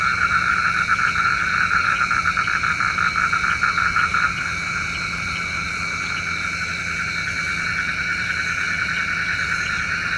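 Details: Night-time frog chorus, believed to summon rain, with rapid pulsed trilling that is loudest over the first four seconds and then eases into a softer, continuous layered drone over a faint steady hum.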